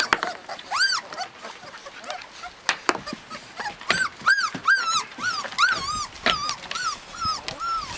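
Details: Husky puppies in Lapland, Finland, whimpering in a run of short arched squeaks, roughly two per second, each rising then dropping, with soft rustling between calls.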